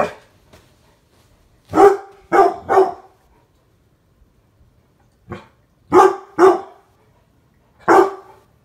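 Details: Mastiffs barking while playfully attacking spirit fingers: seven deep, sharp barks in short bursts, a cluster of three, then a quiet pause, then four more, with near silence between them.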